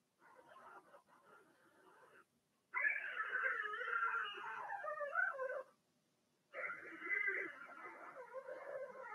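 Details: Litter of six Blenheim Cavalier King Charles Spaniel puppies, born March 7–8, kept in a home puppy pen during potty training; a soft murmur, then two loud stretches of overlapping, wavering cries and squeals separated by brief silence.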